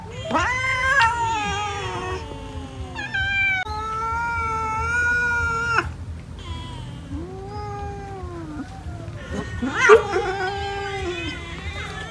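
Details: Cats eating rice, uttering long wailing meows that hold steady for a second or two, then shorter bending cries and a sharp burst near the end, with a low hum throughout.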